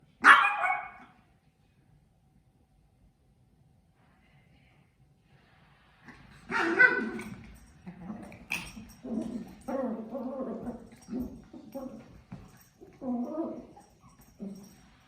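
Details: A puppy gives one sharp bark, then after a long quiet stretch a run of short barks, yips and whimpering sounds at irregular intervals, some loud and some softer.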